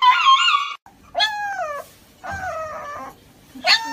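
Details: Dog crying on the way to an injection; drawn-out wailing whines, some falling and some bending upward, in several bursts with gaps, a faint human voice beneath.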